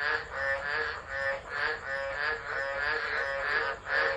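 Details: Tropical frogs singing during a December 2013 tropical low at Driver, Northern Territory, Australia, phone-recorded; loud rasping croaks swelling and fading in uneven pulses, several frogs overlapping.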